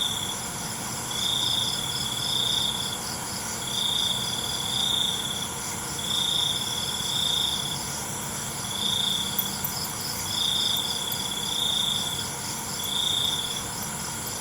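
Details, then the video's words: Crickets at night produce sharp, ringing trills lasting about a second, recurring about every one and a half seconds above a constant shimmering background of insect sound. "ALUNAN CENGKERIK MALAM"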